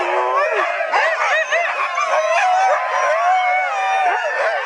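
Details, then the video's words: A pack of 14 Siberian huskies howls along with the 7 o'clock town church bells, as they do every day, long wavering voices rising and falling over one another. "The 14 Husky 7o'clock church bell howl-along"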